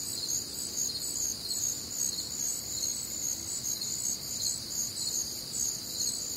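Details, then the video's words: Nocturnal cricket chorus recorded on a humid Midwestern summer night: high, tightly pulsed chirps in parallel bands repeat steadily, dense and unbroken, with quiet low-frequency rumble underneath. "Night Time Cricket Sounds"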